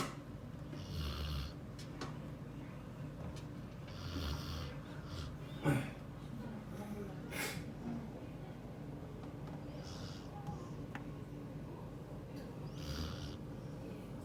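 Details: Border Collie asleep and snoring in a quiet room: low, rumbling breaths recur every few seconds, each drawn in with a soft breathy hiss, with a few faint clicks and a sharp tap near the middle.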